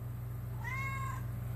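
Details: Pet cat meowing back at its owner: one half-second, smooth, slightly arched meow, heard over a constant low electrical hum in a room.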